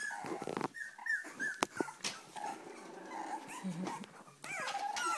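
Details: Hungry Cavalier King Charles Spaniels, restless as food nears, whine in scattered short high notes and a low grumble, broken by sharp clicks and knocks, with a rising whimper at the end.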